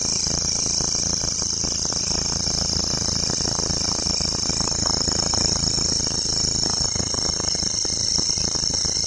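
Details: Grasshopper in a local forest producing a constant sizzling high-pitched drone without pauses, accompanied by a dull low rumble of background noise.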